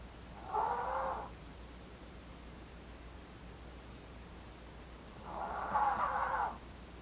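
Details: Blue, a female Maltese born 4 August 2018 to the Maltese pair Jamong and Fanta, snoring: two soft, breathy, rasping swells, each lasting about a second and spaced roughly five seconds apart, with quiet breathing-room hush between.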